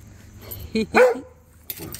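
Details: Rhodesian Ridgeback Cody barking back and forth with Duchess and neighbouring dogs: two short, gruff barks in quick succession, then a fainter bark after a pause, over low background noise.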